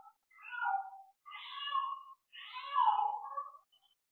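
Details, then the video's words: Bengal cat calling during mating, giving three drawn-out, wavering meows in quick succession over about four seconds, in an otherwise quiet room. "Phối giống mèo bengal"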